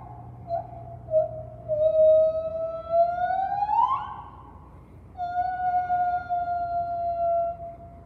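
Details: A white-handed gibbon at a zoo on May 5, 2023 sings clear, flute-like notes swelling and climbing before breaking off, then after a pause a long, steady, level hoot, with a faint background hum.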